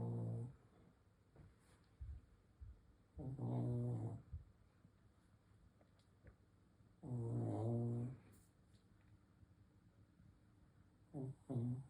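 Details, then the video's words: A sleeping Shih Tzu snores indoors, deep rumbling breaths recurring every few seconds, each snore lasting about a second with quiet pauses between. "코골이 하는 시츄"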